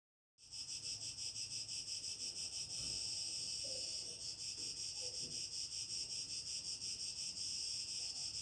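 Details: Cicadas sing on a summer evening, heard from a home terrace near fading countryside, in a dense, high, buzzing chorus that pulses rapidly and never lets up.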